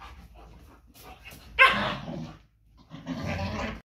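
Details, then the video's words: German Shepherd dogs fighting during mating and breeding: a sudden loud harsh bark or snarl followed by a second rough, noisy growling burst after a short pause. "german shepherd fighting during mating and breeding"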